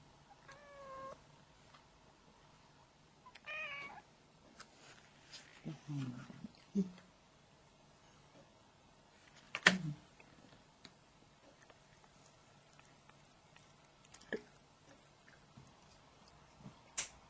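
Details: White cat at the dinner table during dinner time, drawn by the smell of grilled fish but not eating it without permission; a few short rising-falling meows early on, then scattered clicks, knocks and household sounds.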